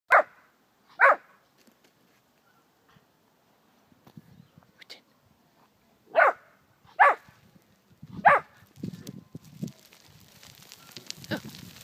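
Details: Two puppies barking at their own shadows: sharp, short barks scattered irregularly, some in quick pairs, with softer low grunts and rustling between them and a brief spoken remark near the end.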